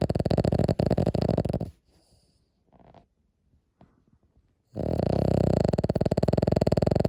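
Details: Loud snoring from a sleeping Cavalier King Charles Spaniel inside a room: a coarse, fluttering snore, then a pause of about three seconds with soft breathy noises, then another long rumbling snore.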